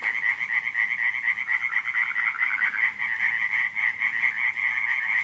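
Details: Frogs croaking at night in July 2015 at Radziszów: a dense, continuous chorus of fast, pulsed, overlapping rattling croaks, with no pauses and no other clear sounds.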